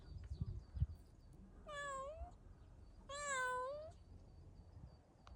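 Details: Kitten, tagged as a street cat, on a spring walk on a warm day; two plaintive meows about a second apart, the second longer and louder, against quiet low-pitched background hum.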